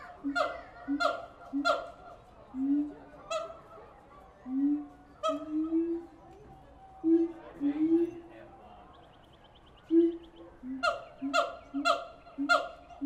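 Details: Siamang apes at the Tulsa Zoo give loud, harmonic barks in quick runs, mixed with rising, hooting whoops.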